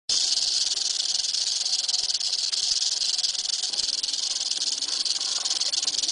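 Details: Eastern diamondback rattlesnake rattling, a continuous dry high buzz held steadily throughout with no breaks.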